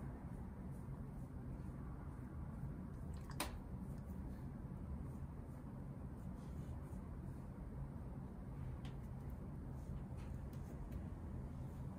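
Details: Quiet indoor room hum with one sharp click and faint rustles is heard, with no animal vocalization.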